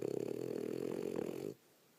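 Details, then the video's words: Snoring female French Bulldog, tired from a rough day of play: one sustained buzzy, nasal snore of about one and a half seconds that cuts off abruptly into quiet. "French Bulldog, Petunia, snoring"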